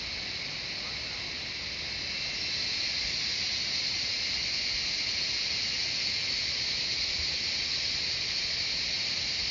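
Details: Cicadas singing in the jungle of Shivapuri Nagarjun National Park near Kathmandu, Nepal: a dense, continuous high shrill drone, steady and unbroken, swelling slightly louder after the first few seconds.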